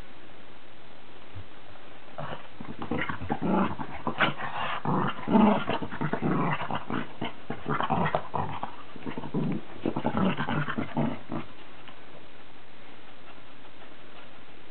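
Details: Cavalier King Charles Spaniel Charlie and Cairn Terrier Billy at play-war: quiet start, then about nine seconds of intense overlapping growls, snarls and snaps, fading to silence at the end.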